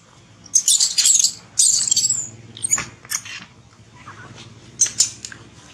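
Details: Baby monkey Bobby, refused milk and blocked from nursing by its mother Brinn, gives shrill, very high squealing screams in two long bursts early on, then a shorter burst near the end, with soft clicks between.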